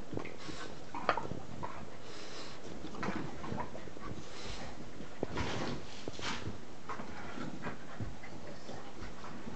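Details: Indoors, puppies at play: soft panting, snuffling and brief whimpery noises with scattered clicks and scuffles, fairly quiet and irregular throughout, with a faint voice in the background.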